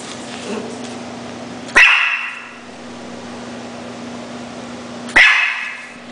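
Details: Pet Schnauzer giving two single sharp barks about three and a half seconds apart, each cut short, with a steady low background hum between them.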